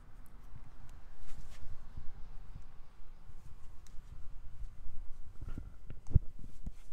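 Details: Noah, an orange cat, purring indoors: a steady low rumble of rapid soft pulses that rises and falls in loudness throughout, with faint light taps and one sharp click near the end.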